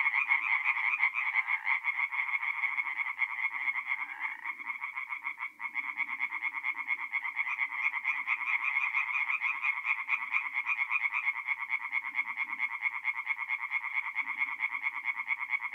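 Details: Tree frogs in full song at a forest pond by night, north-eastern Italy, April; a thick, continuous rattling chorus, briefly dipping near the middle, with soft low croaks scattered beneath.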